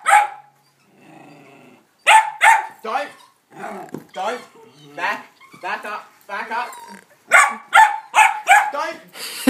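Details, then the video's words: Hamish, a pet dog, barks excitedly at a ball set on a small hill of sand: sharp, loud barks come in quick runs, a burst of three near the start and a rapid series of five near the end, with people chatting and laughing between. "Hamish Barks at a Ball"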